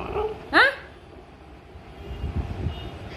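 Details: Siberian Husky puppy, awake while the others slept, talking back to its mother: a short, sharply rising harmonic whine with a faint whimper just before it, then low rumbling noise.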